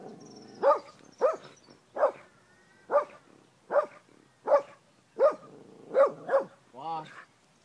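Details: Hoa, an angry female Australian Kelpie, barks in a steady series of about nine sharp barks roughly every three-quarters of a second, ending in a drawn-out whining yelp, with faint background hum.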